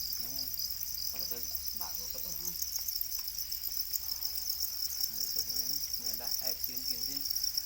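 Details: Steady, high-pitched pulsed chirping from many domesticated para crickets (black crickets), with scattered bursts of people's speech throughout.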